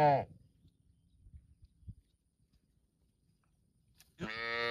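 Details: Cow mooing in a park: a short harmonic moo fades out at the start, a quiet stretch with faint low thumps follows, then a second loud moo begins near the end.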